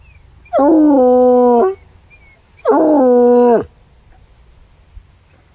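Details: Pet coonhound howling; two long, steady, mournful howls about a second each, rich in harmonics with a sliding drop at each end, separated by a short quiet gap.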